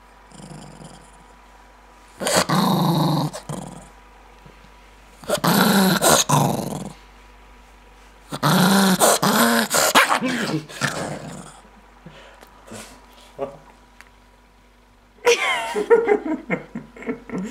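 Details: Irritated Maltese dog snapping quickly indoors, giving four separate bouts of harsh growling, each one to two seconds long, with clicking snaps and a wavering, voice-like sound toward the end.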